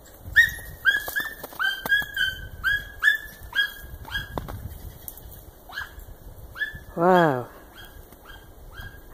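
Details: Hunting German wirehaired dachshund voicing on cottontail rabbit scent, a valued trait called spurlaut; rapid high yelps repeated about twice a second, one longer wavering whine near the end, footsteps and brush noise beneath.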